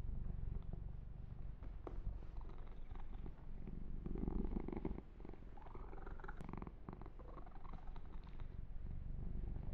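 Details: Purring of a male kitten getting a massage and fur grooming, captured ear to ear: a rich, low, vibrating rumble throughout, with soft rubbing and occasional sharp clicks from fingers on fur.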